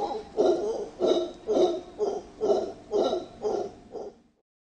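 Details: Two wild mantled howler monkeys (Alouatta palliata) in Cerro Blanco Protected Forest, Guayas, Ecuador, one howling: deep, hoarse, pulsing roars, about two each second.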